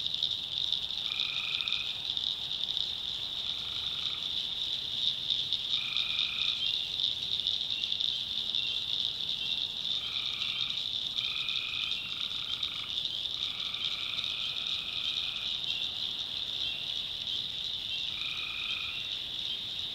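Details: Night recording of tree frogs in North Carolina backwoods swamp: flat nasal calls repeated every one to three seconds, a few stretched into longer notes, set against an unbroken high, hissing chorus.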